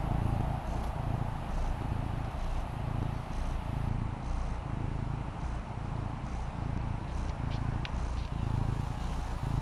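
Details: Maine Coon kitten Fendi, female, relaxing on a patio, purring steadily: a low rumbling drone that swells and eases in regular cycles about once a second, over a soft background hiss.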